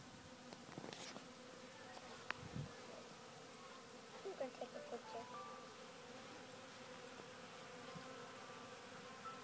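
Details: Western honey bees working a sawdust pile fill the air with a continuous droning wing hum, swelling louder as single bees pass near, over faint thin tones and soft background noise.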